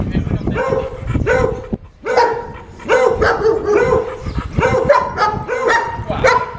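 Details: German Shepherd labelled unmanageable, at its second training lesson, giving a steady series of harmonic barks, roughly one or two per second, over low background rumble and some voices.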